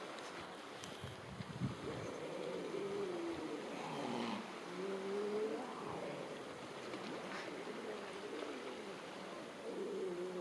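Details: Atlantic grey seal mothers on a beach colony warning a bull seal away from their pups: long wavering moaning wails, rising and falling, overlapping, with surf and wind noise beneath.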